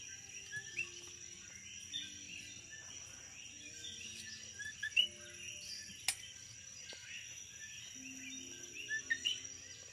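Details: On St Thomas, Virgin Islands, insects chatter through the night: a thin constant whine with sparser chirps over it, broken by a few louder clicks and one sharp tap.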